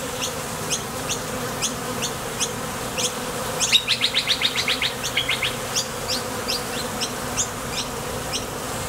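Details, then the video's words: Honey bees flying in and out of a Top Bar Hive entrance on nectar trips make a constant low drone. Near the middle, a quick series of bright twittering chirps rises above regular high ticks. "Sonido de las Abejas"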